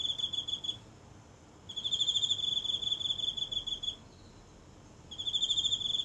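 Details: At night in a little home garden, a single insect sings from the grass, captured close with a phone: high trilled bursts of about two seconds alternating with short gaps, quiet background.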